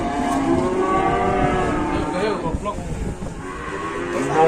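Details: Cattle arriving at a market for slaughter, lowing in drawn-out harmonic moos amid crowd murmur and engine noise from the busy market.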